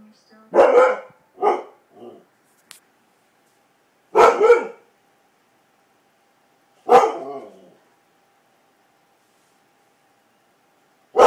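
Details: Pet Siberian Husky barking at a fan: a cluster of sharp barks with short follow-up yips, then single barks spaced a few seconds apart in a quiet room.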